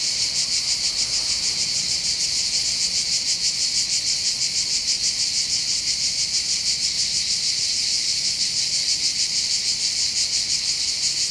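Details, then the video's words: Summer cicada chorus in the hills overlooking Bandol harbour on the Côte d'Azur: an unbroken, shrill, sizzling drone that swells and fades in quick regular pulses, with only faint background noise beneath. "accompagné par le champ des cigales"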